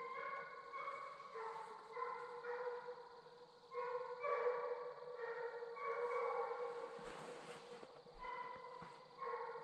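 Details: Two young Redbone Coonhounds, a male and a female, trailing on a 2020 coon hunt. Overlapping, fairly distant bawling runs almost continuously, the bays merging into one another with little pause, over faint background hiss.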